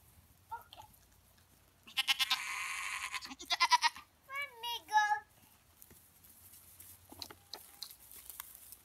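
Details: Goats kept by their owner while she plays with them: a short run of quavering, wavering bleats near the middle, after a burst of loud broad hissy noise, with faint clicks and thuds afterwards.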